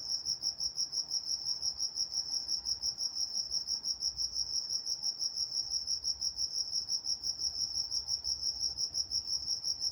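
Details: Nocturnal crickets from Walnut, California keep up a bright, piercing chirp repeated about three times each second, steady and unbroken, with a quiet, nearly silent background.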